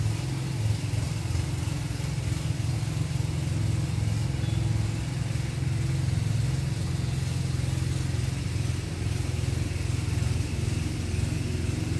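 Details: Steady low rumble of engines and passing traffic fills the recording, with no animal sounds.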